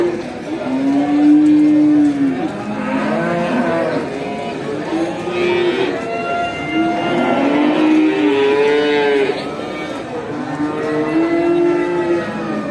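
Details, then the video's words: Many farm cows being herded back to the barn after grazing in a village moo back and forth, their long, droning calls overlapping almost continuously. "Cow video, listen to the sound of cows calling each other"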